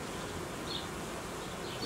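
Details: Honey bees of a hive colony that produced royal jelly and raised queen cells, being reorganised by a beekeeper after a sharp drop in temperature; a dense, steady buzzing hum fills the brief stretch without pause.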